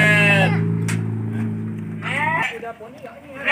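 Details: Goat at the Mini Zoo in The Nice Funtastic Park, Cianjur, bleating while visitors feed it: one long, steady, wavering bleat lasting about two seconds, with a child's voice, laughter and clapping around it.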